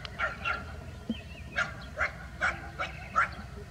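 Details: Village street dogs, a bulldog and a Labrador Retriever, in a rural setting; a run of short sharp barks and yips, about seven in under four seconds, irregularly spaced, over low rumbling background noise.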